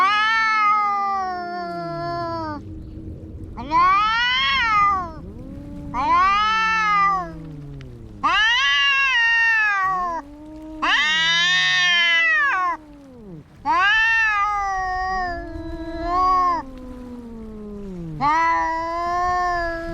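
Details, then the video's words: Domestic cats brawling, a long sequence of repeated wailing yowls about every two to three seconds, interleaved with deep arched moans from a second cat. "Som de gatos brigando"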